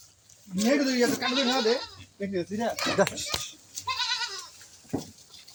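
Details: A loud, quavering bleat from an improved-breed farm goat opens the recording, followed by shorter shaky bleats and a softer higher one, with voices talking nearby on the farm.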